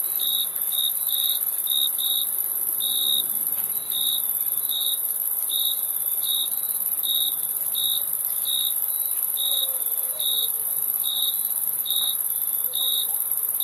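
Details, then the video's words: Crickets keep up a brisk, regular series of sharp, high chirps, well over twenty in a row, above a constant, very high insect hiss. "Crickets Chirping Sound"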